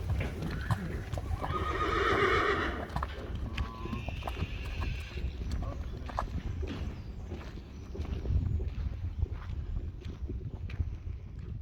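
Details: Friesian horse filly, 4 days old, out in an outdoor arena for the first time with her mother; a harmonic whinny near the second mark over hoof clatter, rustling and low rumble, with brief Dutch speech.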